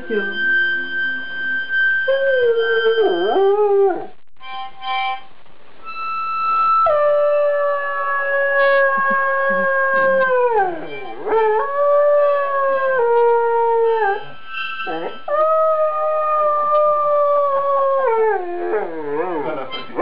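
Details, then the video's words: Afghan hound howling along to a harmonica, seemingly happy: long sustained tonal howls that hold steady then slide and waver downward, repeated in phrases, with harmonica notes and a few spoken Swedish words between them. "Funny Dog Singing Howlin Afghan Hound"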